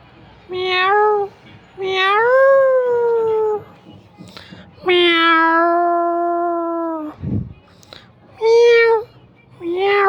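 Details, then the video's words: Mother cat and kitten: a run of meows of varied length, short rising ones and longer drawn-out cries, one held for about two seconds, plus a low thud partway through. "Mom Cat kitten meowing little cat মিও মিও"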